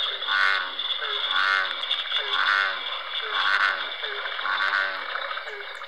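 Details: At an Ontario wetland in spring, an American bullfrog gives low, deep, resonant "sugar-rum" croaks, repeated roughly once a second in a steady series.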